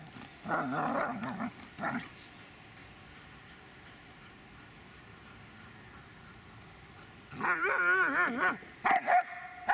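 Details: Magmar Von Der Burgstätte, a Dobermann, gives a burst of harsh, wavering barks, a long quiet stretch, then a high warbling whine that rises and falls, followed by two clipped yips at the end.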